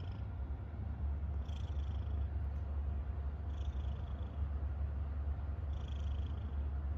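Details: Contented domestic cat giving an even, unbroken low purr for the whole stretch, a deep steady rumble with a few soft breathy wisps riding over it at intervals.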